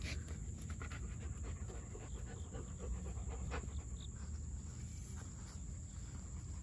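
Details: Young German Shepherd puppy breathing in quick, regular panting bursts, soft and breathy, with a steady low background hum and a thin high whine.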